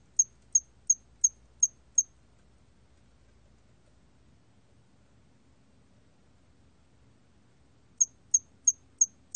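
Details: Hairy cricket song, 2020 Korean recording: six quick, high, thin chirps, a long quiet gap of about six seconds, then another run of six chirps at the same brisk pace.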